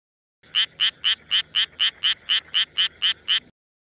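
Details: A male Japanese tree frog in Tokyo, calling with an inflated throat, gives a steady run of raspy, high-pitched notes, about four each second; the breeding season runs April to August.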